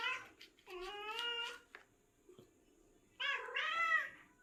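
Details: Seven-year-old cat making a strange sound while hunting: two drawn-out, wavering, nasal meow-like calls about a second long, separated by a quiet gap with faint clicks.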